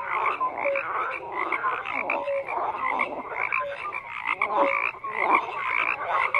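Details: Frogs croaking en masse: layered grating calls with scattered short pure notes, steady and unbroken, the loudness rising and dipping gently.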